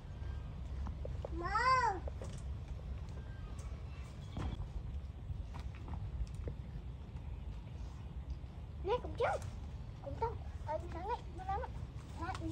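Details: Female pet puppy playing and digging in the ground at home: one drawn-out, arching whine early on, then a quick run of short, rising-and-falling yelps and whimpers near the end over low background rumble.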